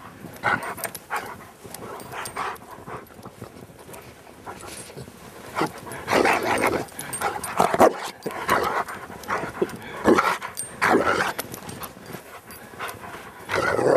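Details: A Rottweiler named Gimli pants and huffs in short, breathy bursts with occasional whimpers while playing in the snow in Maryland on a Saturday afternoon, December 19, 2009.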